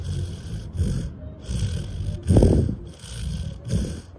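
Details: A sleeping Labrador Retriever in deep sleep snores in deep, rumbling bursts that come roughly every second.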